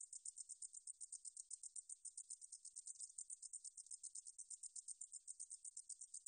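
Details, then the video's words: A 등줄어리쌕쌔기 meadow katydid, recorded in 2020 by the National Institute of Biological Resources in Korea. It sings a high, hissing buzz of rapid pulses, about four each second, with a steady rhythm and no other sounds. "등줄어리쌕쌔기, 여러번 듣기, 곤충소리"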